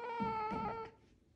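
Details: A playful pet female caracal keeps her favourite toy and lets out a sustained, harmonic-rich wailing call under a second long, as a woman softly asks her to give it back.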